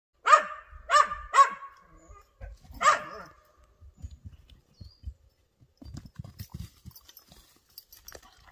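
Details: Excited whippet making up his own game; three quick sharp barks, then one more about a second and a half later, followed by soft thumps and shuffling movement.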